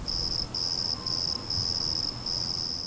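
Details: Black field crickets in Austin, Texas, during a large outbreak after heavy spring rainfall; high, shrill, buzzy chirps in bursts of about half a second, repeated five times with short gaps, over a faint low background hum.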